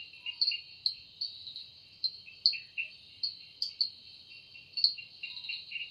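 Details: Evening forest cicada song: continuous shrill buzz with sharp brighter pulses punctuating it roughly every half second to second, rising and falling in loudness against a quiet background.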